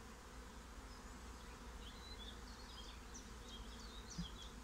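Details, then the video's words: Honeybees swarming into a new home: a soft, steady low hum from the swarm, while small birds chirp and twitter faintly overhead. "Swarm of honeybees get new home"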